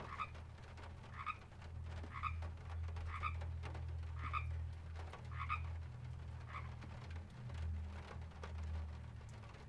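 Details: Frogs calling at a pond in a field recording: short double-banded croaks repeated about once a second, fairly irregular, over a steady low rumbling drone and scattered clicks.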